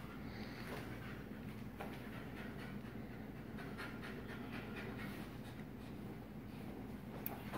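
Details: Two wolfdogs, a black-phased father (44% wolf) and his son (56% wolf), growl low and rough in play, with breathy panting and sharp snapping; the father shows dominance.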